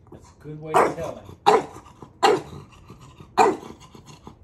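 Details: Maui the dog playfully provoking his older sibling, letting out four harsh, widely spaced barks roughly a second apart, with human talk underneath.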